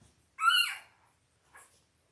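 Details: Five-day-old Labrador Retriever puppy from a litter of eight, born October 15, 2023, indoors: one loud high squeal rising then falling, followed by a short fainter squeak.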